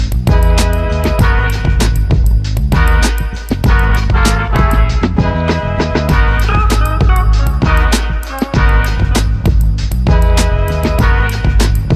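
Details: Upbeat funk music with a driving drum kit and layered instruments plays throughout, with no animal sounds.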